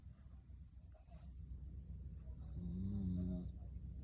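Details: Magi, a rescue Corgi, sound asleep and snoring happily; one drawn-out, low, droning snore near the end, rising slightly in strength before fading, against faint background hum.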